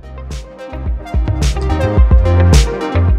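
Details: Loud electronic music with heavy bass and drum-machine beats plays throughout, with no animal sound.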